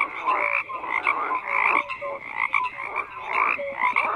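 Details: Dense croaking of many frogs, raspy pulsed calls and short tonal notes overlapping in waves roughly every second.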